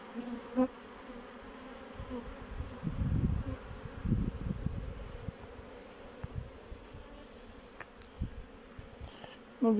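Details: Honey bee colonies outside their hives on 8 May 2023, all having survived the winter, some stronger and some weaker: a continuous low droning buzz swelling in the middle, a man speaking briefly at the end.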